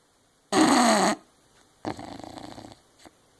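An English Bulldog snores with a loud, rasping inhale followed by a softer, fluttering exhale.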